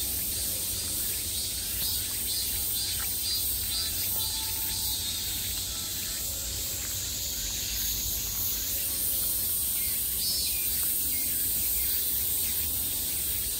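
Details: A summer chorus of cicadas calling all around, a steady high, sizzling buzz with scattered faint pulses; partway through, a brighter, higher layer of buzzing joins and continues to the end.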